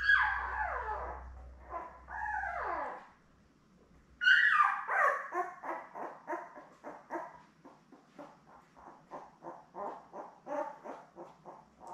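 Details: Newborn Labrador Retriever puppies with their mother Belle, a litter of seven born May 24, 2021, on a live puppy cam; loud falling whines, then a rapid string of short squeaks slowly fading, with a low hum early on.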